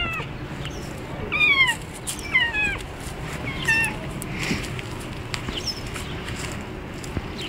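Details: Cat named Julian meowing while out on a walk: a run of short, squeaky, descending meows with layered harmonics close together near the start, then fainter calls and a steady background hiss.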